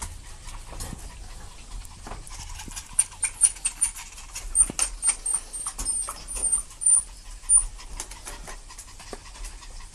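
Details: Two puppies play-fighting together: bursts of short breathy huffs and snuffles cluster between three and eight seconds, joined by a thin, very high squeak repeated several times, over soft scuffling and rustling.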